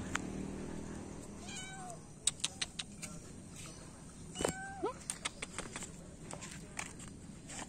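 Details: Morning feeding of feral cats, three adults and a kitten: two short, faint meows, one bending downward, interrupted by sharp clicks and knocking clatter.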